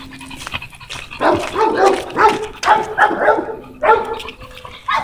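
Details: American Bully named Tugboat, out on a walk, giving a run of rough, harmonic barks in quick irregular bursts, some doubled, after a quiet opening with a faint steady low tone behind.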